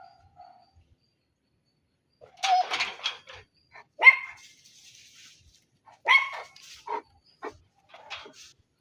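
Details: Dog barking in short irregular bursts, a few sharp barks clustered together then pausing, with quieter yaps between them in an otherwise silent setting.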